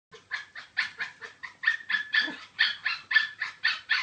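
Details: Chihuahua barking: a rapid run of about fourteen sharp, high, yappy barks, roughly three to four each second, steady and insistent.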